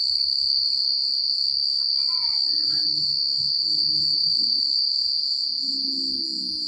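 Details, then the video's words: Crickets chirping at night in secluded countryside: a dense, steady high-pitched trill holding constantly with a fast pulsing shimmer, while faint chirps and murmuring lower sounds drift underneath. "The Sound of Crickets at Night"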